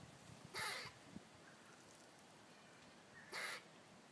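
A squirrel gives two harsh, raspy barks about three seconds apart, scolding a cat.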